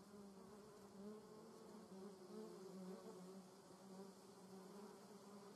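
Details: Continuous droning buzz of German yellowjackets (Vespula germanica), more than one wasp: a low, even hum with a higher overtone, brief swells in loudness at about one-second intervals, faint background hiss.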